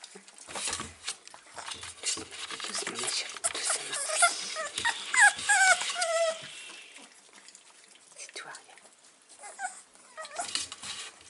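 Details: Six-week-old Staffordshire Bull Terrier puppies, filmed 3 October 2020, giving high whimpering cries with falling tones in a cluster mid-recording, amid rustling, clinking and a woman's soft French speech.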